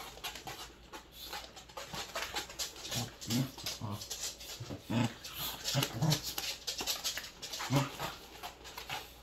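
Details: Welsh Corgis, three of them, playing inside: intermittent low growls and grunts over busy panting, scuffling and clicking sounds throughout.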